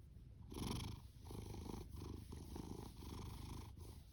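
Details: Loud purring from Fasu, a rescued male orange tabby cat born in October 2019: a dense low rumble broken into short breath-paced bursts, each lasting under a second, close and steady.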